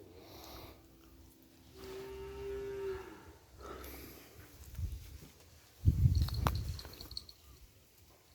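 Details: Cattle kept in a pen as breeding stock for kerapan bull racing: one drawn-out, steady, tonal moo of about a second, followed by muffled thumps, a short clattering burst and faint voices.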